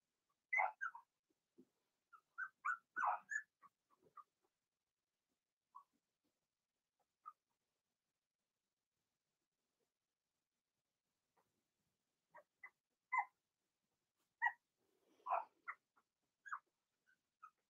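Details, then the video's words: Blenheim Cavalier King Charles Spaniel puppies from a litter of six born in early March, in their puppy pen indoors: scattered short whimpers and squeaks in two bursts, separated by a long quiet stretch. "Cavalier Puppies Bark, Howl"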